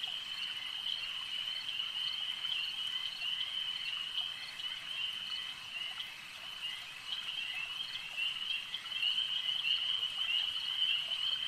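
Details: Many frogs at a lake produce a steady, piercing trilled drone that builds slightly in volume near the end, with no other clear voices.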